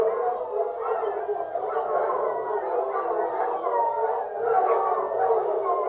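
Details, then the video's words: Pack of foxhounds baying together during a fox hunt: many overlapping wavering howls sliding up and down, layered into a continuous dense chorus with no pauses. "Fox hunting hounds singing"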